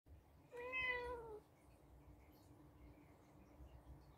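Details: A senior female blue-eyed Birman mix rescue cat watches her owner intently and meows, seemingly trying to tell her something. She gives a single clear meow that rises slightly and then falls.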